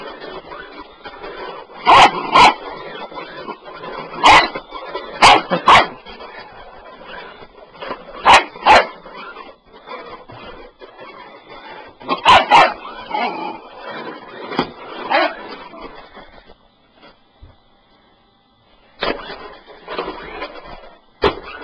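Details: Bull Terrier puppy going nuts over a sweeper, barking in sharp bursts spaced irregularly, a few clustered together, with quieter stretches and a near-silent gap before barks resume at the end.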